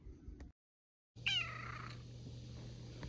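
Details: A kitten gives one short, high meow that slides downward in pitch. It is followed by a steady low electrical hum and quiet room noise.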